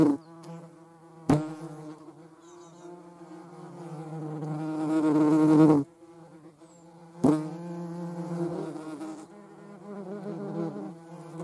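A European hornet's deep, droning wing buzz swells and fades, broken by two sharp knocks.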